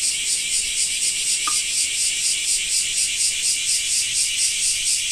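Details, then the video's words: Japanese summer cicada chorus in rain: loud, shrill electric buzz pulsing evenly about twice each second, with a single faint click early on. "Japan Rain Sound 5of2 - Cicada 2"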